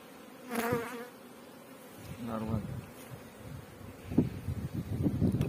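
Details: Bee farm in Pakistan where honey bees are kept: a dense, low colony hum fills the background, broken twice by short human voices and some handling knocks.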